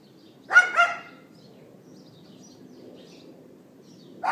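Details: Neighbor's dog left outside, recorded on an iPhone 4S on April 18, 2012 at 11:31 AM: two quick high yaps in fast succession, then quiet background hum before a third bark starts at the end; faint bird chirps.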